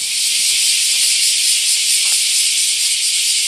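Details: Deafening summer 2019 chorus of bear cicadas at Daitokuji Park, Nagasaki, Japan, by the prefecture's largest camphor tree: a relentless high-pitched sizzling drone with gentle rhythmic pulsing and a faint click or two beneath.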